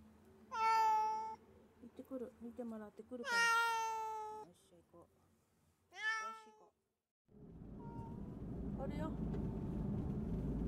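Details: Kuro-chan, a sick black male house cat off his food for two days, on the way to the veterinarian: three loud plaintive meows among a woman's soothing talk, followed by rising car engine rumble.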